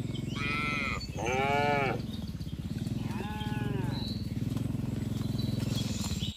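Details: A herd of tame cattle driven from a broad green field toward the pen. Three moos come close together, the second long and full, while a low pulsing rumble runs throughout.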